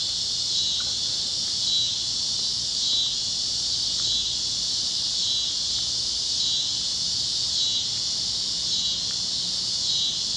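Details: Kansas cicadas chirping over the plains fields at sunset: a steady high-pitched buzzing wall pulsing in regular swells a little over once a second, with a few faint clicks and little else.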